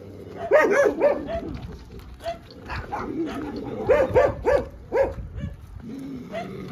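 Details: Dogs barking during a walk in which a Dogo Argentino named Rocky meets street dogs; sharp, harmonic barks come in quick bursts of three or four, with pauses between clusters and faint background noise.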